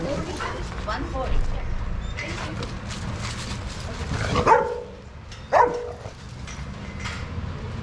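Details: Dogs playing together in a shelter yard at Pima Animal Care Center, Arizona, watched by handlers; two sharp, loud barks ring out a second apart midway, over a steady bed of human voices and yard noise.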